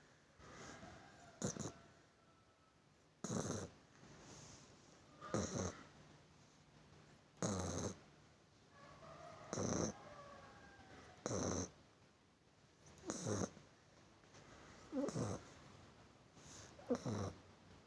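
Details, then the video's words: A sleeping puppy snoring, with noisy broadband snores about every two seconds, each a short harsh burst separated by quiet breathing. "anak anjing ngorok"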